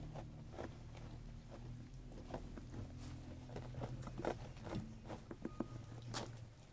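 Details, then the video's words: Close chewing and biting as a sheep eats food, irregular crunchy clicks over a steady low droning hum, with one sharper snap near the end. "Sheep Eating Food ASMR"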